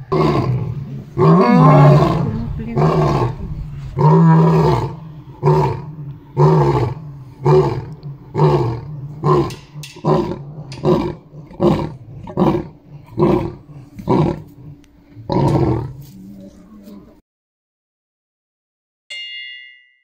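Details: At Taigan lion park in Crimea, lions give their evening roll call, roaring back and forth in a deep chorus of long moans that fade into short grunting bursts.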